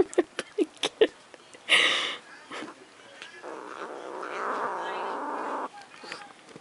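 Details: Pet cat guarding her macaroni and cheese, giving a loud burst then a long, steady low growling yowl lasting several seconds, with clicks and a person talking nearby.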